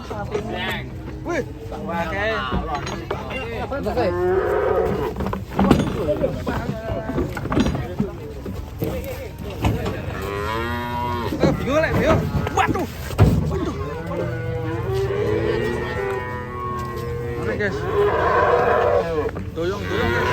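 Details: Angry cattle unloaded from a truck bellow repeatedly through twenty seconds, overlapping wavering moos of varying length amid clattering, low engine-like rumble and occasional voices.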